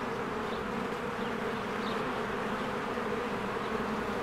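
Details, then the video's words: Honeybees flying in and out of their hive in spring, a dense swarm among blooming flowers; a steady layered hum with bright bands low and middle, faint brief chirps of birds above. "1 Hour of a Beehive ASMR"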